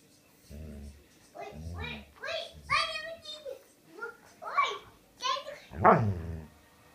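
A Dobermann 'talks' in a run of drawn-out, pitch-bending whines and grumbles.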